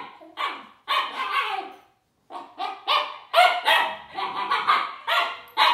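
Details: Siberian Husky puppy barking at a toy robot, giving rapid runs of sharp, high-pitched yips and barks broken by a brief silence midway, growing louder toward the end.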